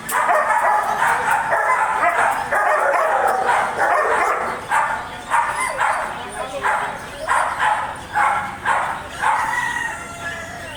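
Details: German Shepherd barking continuously, first in a dense run, then as spaced single barks roughly every second, fading toward the end.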